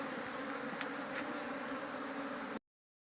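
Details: Honey bees heard while a beekeeper works with them: a continuous, even, mid-pitched buzz with layered overtones and faint ticking sounds, cut off abruptly before the end.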